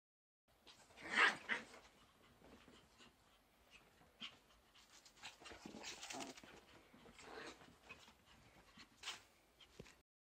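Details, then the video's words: Two young Chihuahuas, Nezumi at seven months and Pontus around four months, playing indoors; short panting breaths and small whimpers in bursts, a louder yelp-like burst near the start, scuffling between. "Young chihuahua's playing"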